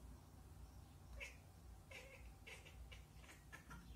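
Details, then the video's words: A domestic cat chatters in quick, clipped bursts, a stuttering ke-ke-ke sound, on spotting a squirrel, chattering typical when a cat cannot reach its prey. "cat kekeke / cat / cats / cat sound"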